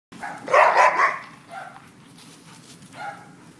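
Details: Dogs Leroy and Oscar having fun: one loud harsh bark burst near the start, followed by softer yelps or whines later, over a low steady background hum.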